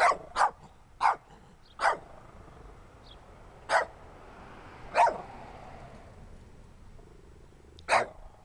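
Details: Little dirty dog barking repeatedly while its owner urges it on: short sharp barks, a fast run of three, then spaced single barks every second or more, ending with one after a long pause.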